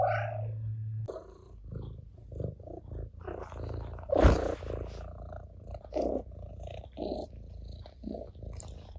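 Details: Ginger, a house cat, purrs as he pushes a rival off his owner's lap; a low purr opens the clip, then rustling, a sharp thump near the middle and short mewing sounds follow.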